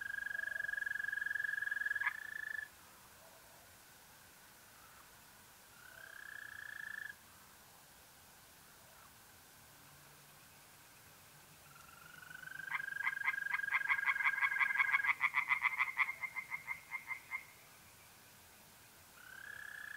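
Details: Tree frogs at a pond in North-East Italy on a mid-April night: a loud burst of rapid pulsed croaks lasting several seconds, set among long, steady, whistle-like trills of mole crickets that start and stop.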